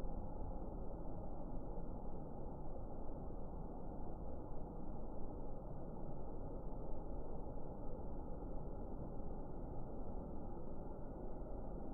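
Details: Constant low rumbling noise, like traffic or wind, runs throughout, with a quiet high hum above it and no animal sound.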